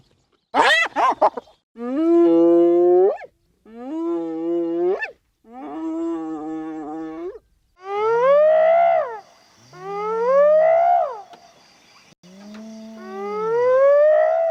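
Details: Hyena whooping, calls said to carry over long distances to keep in touch with the group: a series of drawn-out tonal whoops, first flat and wavering, later sliding steadily upward, one roughly every two seconds, preceded by a brief sharp cry.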